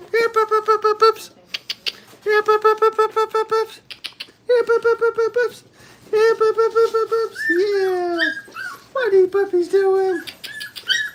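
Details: Five-week-old Brittany puppies crying in crate training: long series of steady, strongly harmonic howling cries in rapid pulses, broken by short pauses, later turning into falling, wavering wails.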